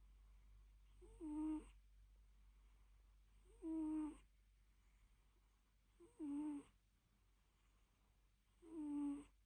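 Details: Small fluffy cat asleep, giving four loud snoring purrs roughly every two and a half seconds; each is a brief nasal squeak that dips in pitch, with quiet pauses and a steady low hum between.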